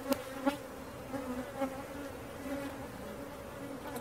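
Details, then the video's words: A swarm of honey bees during capture: a continuous low humming buzz, broken early on by a few sharp knocks and taps from handling. "Catching Bees start to finish bee swarm"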